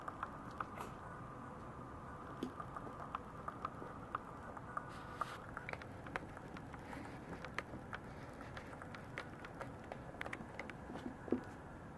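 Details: Quiet indoor room tone with soft scattered ticks and patters, no animal voice heard.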